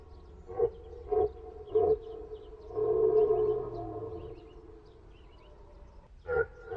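A deer gives short, tonal, nasal calls in quick succession, then one longer drawn-out note.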